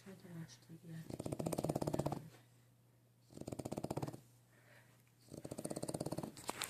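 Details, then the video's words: French bulldog puppy asleep, giving three loud, buzzy snoring breaths about a second long each, separated by quieter gaps, over a constant low background hum indoors. "French bulldog sleeping snoring"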